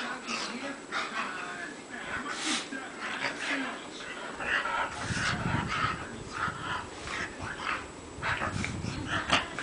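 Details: Pet female dog rolling around on a bed, wanting belly rubs and squirming more when petted; short breathy grunts and snorts come in irregular bursts among bedding rustles, with a faint human voice in places.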